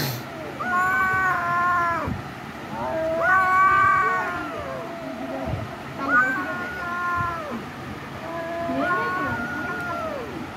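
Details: Domestic cat meowing loudly, four long drawn-out harmonic meows roughly every two to three seconds, each rising then falling, with a faint background hum.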